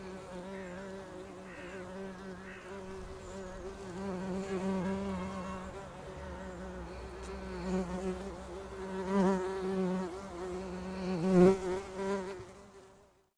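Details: Bumblebees nesting in a house roof, a dense steady buzz with a strong low hum and stacked harmonics, swelling and fading as individual bees pass close, louder surges near the end before the sound cuts off.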